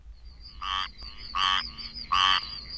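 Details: A Florida squirrel treefrog gives its common call, harsh, raspy bursts repeated roughly every three-quarters of a second.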